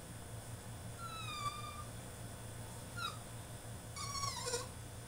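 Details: French Bulldog throwing a tantrum in his cage, letting out a drawn-out, slightly falling whine, then a brief sharp cry near three seconds and a wavering, broken whine toward the end, over a steady low electrical hum.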